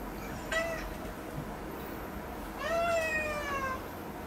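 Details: Domestic cat meowing while having its claws trimmed: a short harmonic meow, then after a pause a longer, drawn-out meow that falls slightly in pitch toward the end, over a faint steady background hum.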